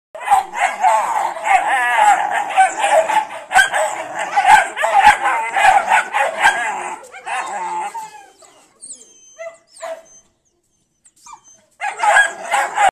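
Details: Dogo Argentino puppies giving a dense run of high yelping barks, overlapping and irregular for about eight seconds, then a pause with faint squeaks before the chorus of yaps resumes.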